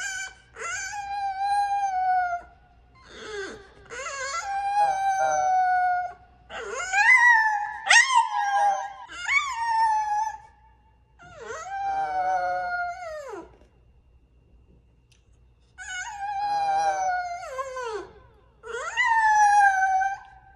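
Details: Haru, a female French Bulldog, howls in wavering, sliding tones, drawn-out notes separated by short pauses, "singing" into her new microphone for the first time.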